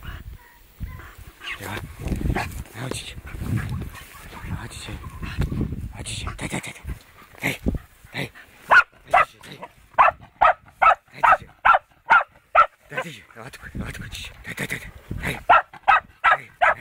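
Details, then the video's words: Fox terrier meeting a wild boar for the first time. Talking and rustling come first, then a steady run of loud, sharp barks, roughly two per second, that lasts until the end. "fox terrier first encounter with wild boar"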